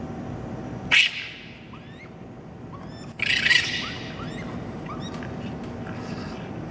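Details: Raccoons in Toronto on May 12 at night, babies crying while adults fight: two loud harsh screeching bursts, each followed by a series of short rising chirpy squeals, over a steady low hum.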